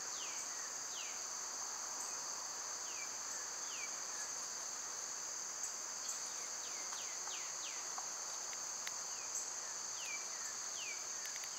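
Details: Cicadas in summer, a continuous high, steady shrill drone at two fixed pitch bands throughout, with many short downward-sliding whistled bird calls scattered across the recording.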